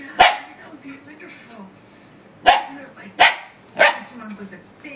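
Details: Puppy named Faith barking at her reflection in a laptop: four sharp, punchy barks, one early and then three in quick succession near the end, over faint room noise and distant talk.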